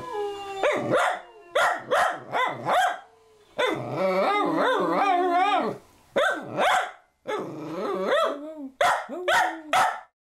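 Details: Cavapoo dog trying to howl like wolves: a run of short rising yips and yowls, then a longer quavering howl in the middle, followed by more clipped yelping howls.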